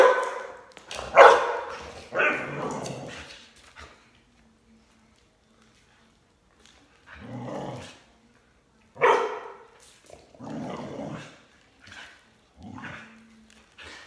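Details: While its owner works out with a jump rope, a Border Collie lets out about seven loud, harsh barks in uneven bursts, the first two close together, then a silent gap before the rest.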